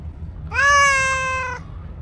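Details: Sweet meow from a stray black-and-white cow cat that came to a person: one loud, sustained, even-pitched cry lasting about a second, slightly rising at the start, with quiet low background noise.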